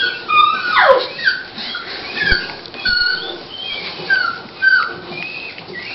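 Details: High, tonal whimpers come from Dolly, a Toy Pinscher bitch beginning labour before her puppies arrive: a loud descending whine, then repeated short squeaky cries, some rising and some falling, spaced about a second apart.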